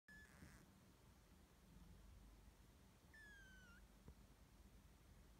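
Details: Blue Exotic Shorthair cat giving a brief clipped meow at the start, then a clearer, thin, slightly falling meow about three seconds later, both over a steady low background hum.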